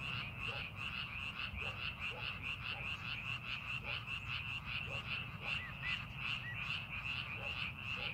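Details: A chorus of frogs in paddy fields readied for farming, with quick repeated croaking pulses that overlap continuously, occasional short rising notes, and a constant low-frequency hum beneath.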